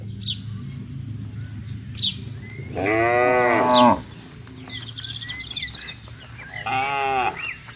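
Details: Cattle being herded on a wide pasture give two drawn-out harmonic moos, one near three seconds lasting about a second, another near seven seconds, with faint bird chirps scattered between.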